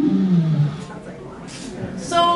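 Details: A treehopper vibrational duet recorded through a plant stem with lasers, inaudible to the ear: the calling male's low, falling moan, then the female's brief, higher humming reply.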